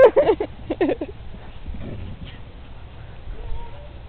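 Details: Briards Molly, 18 months, and Fred, 7 months, at play on a green; sharp, tonal yelping barks come in two quick clusters at the start, then a faint thin whine over soft wind noise.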